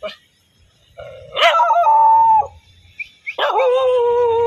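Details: Angry dog giving two long, tonal, whining howl notes, each starting with a sharp yelp and then held steady, with silence between them.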